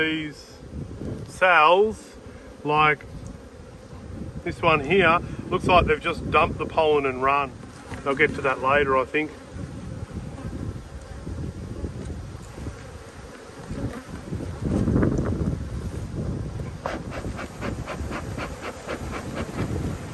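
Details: A person speaks through the first half while honey bees hum beneath. A steady, low drone then carries on alone for about ten seconds. Inspection of the Black and White Hives, strong colonies in a food dearth, Australia, 5-Feb-22.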